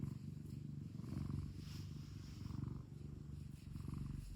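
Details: Domestic cat at home giving a low, vibrating purr, an even rumbling hum pulsing with the breath about every 1.3 seconds, with a soft brief rustle partway through.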